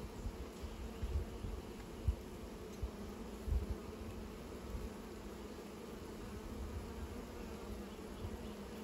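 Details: Bees making new nests: a steady low droning hum with a band of buzzing tones, plus a few soft low thumps in the first four seconds.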